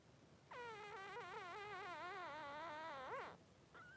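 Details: Newborn Cavalier King Charles Spaniel, Blenheim-coloured male, three days old: a sustained quavering cry of almost three seconds, wobbling in pitch and ending in a sharp upward flick, followed by a faint brief peep.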